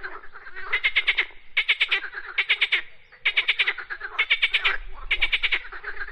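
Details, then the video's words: Croaking frogs giving loud, clicking rattled calls in short bursts, roughly one burst per second with a brief lull near the middle. "Frogs Croaking Sounds"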